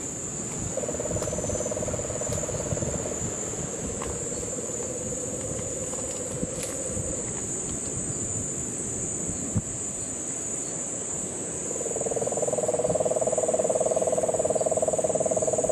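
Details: Puerto Rican crested toad in Guánica Dry Forest, Puerto Rico, in the September 2007 rains. Low pulsed trills run in long bouts, one near the start and a louder one from twelve seconds. Continuous insect buzz and scattered clicks fill the background.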